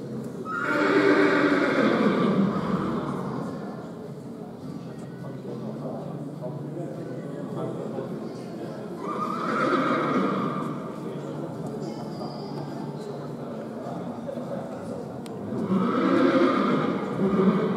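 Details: Polish sport horse stallion, born 2017, neighing three times about every seven seconds; each whinny is a loud, harmonic, falling call, with hoof sounds and low voices filling the gaps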